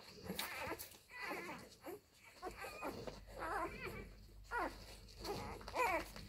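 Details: Labrador Retriever puppies of the F litter suckling from their mother Molly; rapid overlapping squeals and whines in quick bursts, some brief wavering whistles, against faint indoor background.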